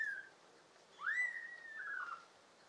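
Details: Kitten, one of five pet kittens from an American Shorthair and tabby household, recorded in summer, June 2022: a single drawn-out meow that rises sharply, then slides slowly downward over about a second, in a quiet room.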